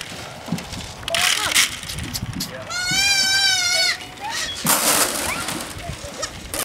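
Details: A baby goat on a farm gives a wavering, nasal bleat while calling for its mother, who finally comes, with people talking nearby.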